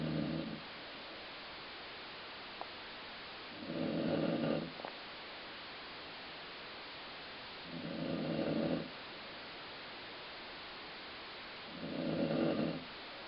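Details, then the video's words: Slow, regular dog snoring with a stomach-growl sound: four coarse, low snores about four seconds apart, separated by quiet pauses and a couple of faint clicks. "Colline Snoring"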